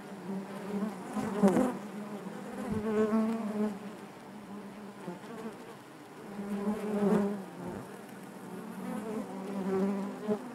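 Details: Hive of honey bees humming steadily, the thick low buzz swelling in slow waves roughly every few seconds, with rich wavering overtones and occasional faint crackles.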